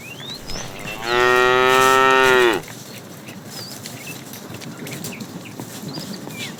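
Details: A tame cow among a herd roaming the road in search of food gives one drawn-out, level moo of about one and a half seconds, followed by quieter bird chirps and background noise.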